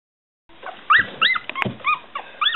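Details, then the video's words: One-week-old Smooth Coat Collie/Coon Hound/Pomeranian mix puppies, Bella, Kooper and Boy, give short high arched squeals and whimpers, several overlapping, after a brief quiet start. "1 week old Smooth Coat Collie/Coon Hound/Pomeranian puppies"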